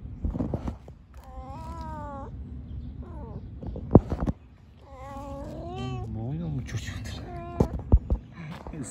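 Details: Mother cat with her kittens in a park, letting out long quavering meows and a shorter rising-falling mew between bursts of Turkish speech and clicking handling noises.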